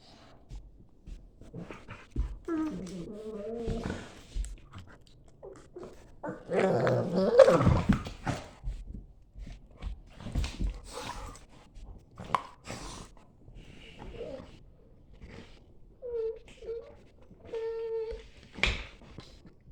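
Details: German Shepherd and a Staffy in a morning play fight: bursts of rough growls and grumbles, then short high whining notes near the end, separated by quiet gaps.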